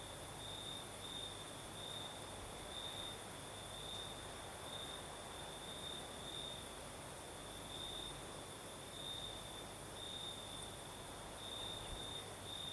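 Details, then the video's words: Night chorus of crickets in southern Crimea with a night breeze blowing: continuous high-pitched ringing trill, brightening in short bursts every second or so, over a wide, even rushing of wind. "Звук ночи. Юг. Крым. Сверчки поют. Ночной бриз."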